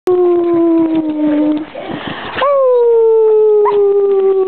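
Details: Beagle named Mellie howling: a long steady drawn-out tone that slowly sinks in pitch, a brief rough noisy break, then a second howl that starts with a sharp upward jump and gradually falls again, loud and close.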